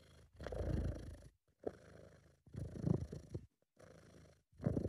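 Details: Relaxed, happy British Shorthair domestic cat purring: deep throbbing rumble rising and falling in breath-length bursts about two seconds apart, with brief quiet pauses between them, recorded amateur-style indoors.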